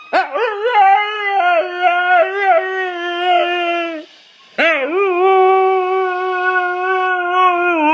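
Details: Pet dog howling: two long, wavering tonal howls with rich stacked harmonics, the first about four seconds with pulsing wobbles, then a short gap and a second steadier sustained howl.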